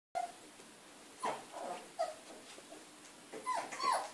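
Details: Three Siberian Husky puppies playing together; short scattered whimpers and yips, a few high squeaky notes separated by quiet gaps, with faint rustling between calls.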